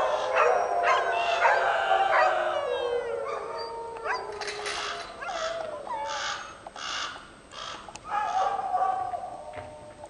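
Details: Young dogs giving a chorus howl after dinner: long sliding, falling howls layered with higher yips, trailing off and fading, while a raven caws in the background.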